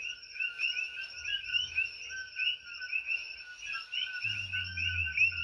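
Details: On Hawaii's Big Island, a dense night chorus of invasive coqui frogs lasts all night, each frog giving a high, two-note rising chirp over and over.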